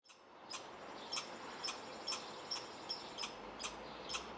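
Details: A young red squirrel in a backyard barks for unknown reasons, giving sharp, harsh barks about twice a second over a steady background hiss.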